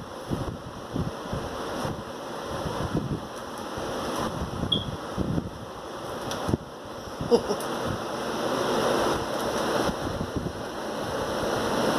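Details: Steady, gusty wind buffets the microphone with a surf-like roar that swells and fades, a few faint knocks and a trace of distant speech, and no animal voices.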